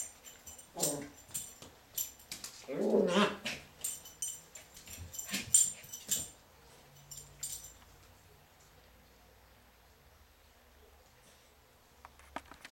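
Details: A Cairn Terrier puppy, playing and battling an orange toy, gives short whimpering yelps and soft growls amid clicking, rustling noises indoors.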